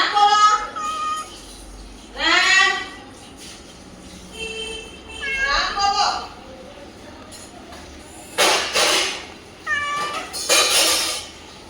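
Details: Ram, a pet house cat, recorded 2/1/2026 while being coaxed to speak and offered milk; several drawn-out, arching meows with rich harmonics, interleaved with people talking in Gujarati.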